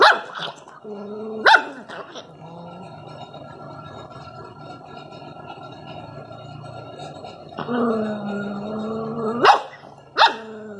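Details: A Rottweiler puppy showing inborn aggression gives sustained, low, rough, gargling growls in long rumbling bursts, rising into sharp yelping barks at intervals, an aggressive warning.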